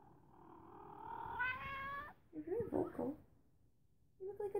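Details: Rescued feral female cat coming out of hiding in a home office; one long drawn-out meow rising steadily in pitch for about two seconds, followed by a woman's soft speech and a short final mew.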